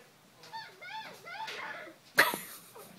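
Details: A 9-week-old male French Bulldog-Pug mix puppy, playing while moving around inside a pillow slip, gives high, squeaky yips, then one sharp little bark.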